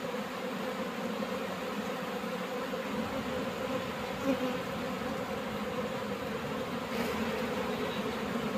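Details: Honeybees swarm-buzzing while honey is harvested and the bees are driven off with a smoker; a thick, continuous droning hum with layered tones holds steady throughout, with only a faint bump of handling noise midway.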